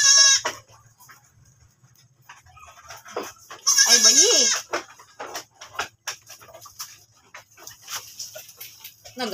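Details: Goat after giving birth again. A short bleat opens, then a long, loud, wavering bleat rising and falling midway, and another begins at the end, with scattered clicks and knocks between.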